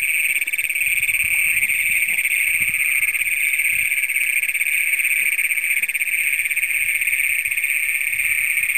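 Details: Great Plains toads calling at night on June 27, 2010, among the first documented in Brown County, Minnesota, filmed with a Canon PowerShot SX100. A continuous, high, buzzy trill drones without a break, with a fainter, lower trill briefly overlapping.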